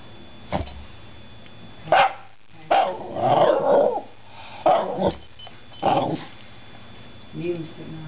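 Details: Shiba Inu dog indoors "talking" to two rescued cats: short, low, grumbling vocal bursts, a few drawn-out moaning yowls and brief yips, repeated every second or two, with a person speaking quietly in the background.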